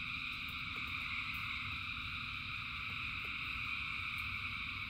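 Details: Steady high shimmering drone of many frogs calling in the rain, no single caller standing out, above a constant low rumble and sparse tapping ticks.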